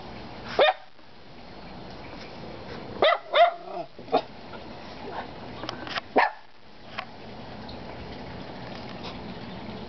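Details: Kona, Koko and Konnor, three dogs, give scattered barks over a steady hiss: a single bark, a quick cluster of two or three, then isolated barks several seconds apart, some fainter and more distant.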